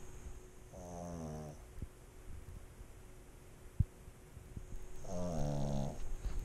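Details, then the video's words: Pet pug snoring while sleeping, recorded as ASMR: two drawn-out, buzzy snores, each with a stacked, harmonic tone lasting about a second, four seconds apart, with faint clicks and a soft indoor hum between them. "AMSR Pug Snoring"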